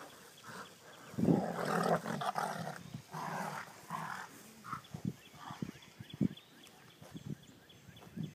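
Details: Two dogs, Taz and Jingles, at play, giving rough growls and short grumbling vocal bursts in irregular clusters, loudest early on and then breaking into scattered snorts and grunts.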